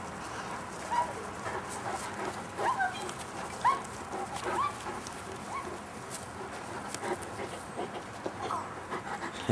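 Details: Great Dane puppies from a 2011 litter, several young dogs together, giving short high squeaky whimpers with a quick upward bend, scattered irregularly about once a second over a steady background hiss and rustling.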